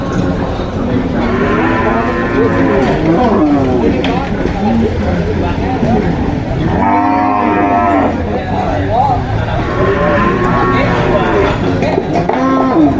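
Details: Cows on a farm mooing in a loud overlapping chorus, several drawn-out harmonic moos rising and falling, with a dense background of further lowing and rustling throughout.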